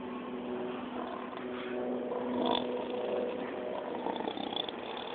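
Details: A sleeping male pig, seemingly dreaming of chasing squirrels, gives steady, raspy snore-like breaths with a brief, low, throaty grunt midway; a person murmurs quietly toward the end.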